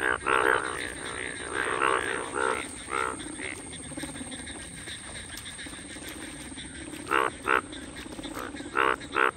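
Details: Mating-season chorus of Indian bullfrogs in the wild, early monsoon rains of June 2022, filmed on iPhone; loud, throaty pulsed croaks in short bursts, clustered early and late with a quieter gap in the middle, background hiss.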